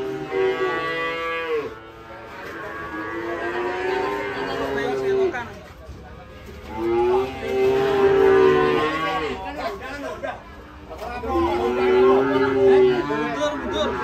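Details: Rampaging cattle falling into a ditch after being unloaded from a truck; three long sustained moos, each lasting about three to four seconds, separated by short quiet gaps.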